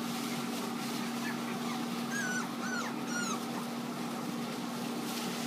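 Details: Cavalier King Charles Spaniel puppies offered for sale. Several short, high, arching whines are clustered in the middle of the clip over a steady loud mechanical hum.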